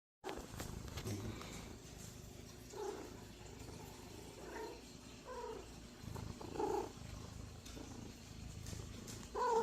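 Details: Happy pet cat making noises: a series of short, soft, mid-pitched chirping meows, some rising, spaced a few seconds apart, with low indoor background hum.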